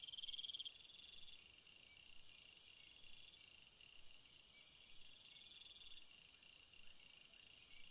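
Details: Night-time cricket chorus, a dense, even wash of high pulsed trilling from many insects. A closer caller's brief rapid trill stands out at the start, then the layered ringing continues steadily.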